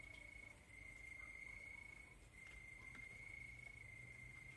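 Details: Cricket chorus at night: a steady, unbroken high-pitched trill that holds one even tone throughout, over a faint low background hiss.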